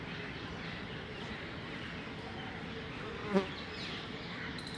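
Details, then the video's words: Bees in a hollow tree make a dense, steady, low hum throughout. One bee passes close near the end with a brief, louder, deeper buzz. "Bees buzzing sound"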